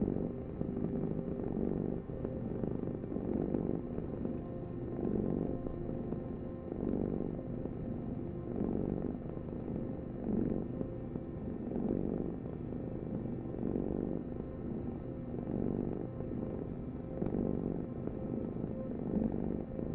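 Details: Cat purr as a continuous low buzzing rumble, rising and falling in regular breath cycles roughly every one and a half to two seconds throughout, close and steady with a faint background hum.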